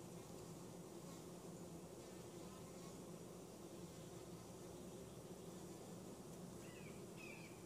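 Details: Western honey bees from a swarm caught in a back yard in 2017, checked at the hive in Mt. Perry, Ohio: a steady, low, continuous hum throughout, with a faint chirp near the end.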